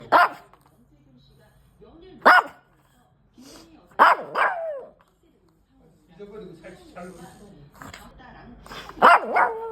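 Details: A feisty pet puppy getting ready for a walk gives sharp, loud barks in short bursts spaced a couple of seconds apart, while a person calmly repeats commands to come, sit and be quiet between them.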